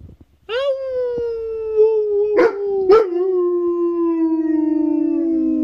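An Alaskan Malamute gives a long, harmonic howl that slowly slides downward in pitch.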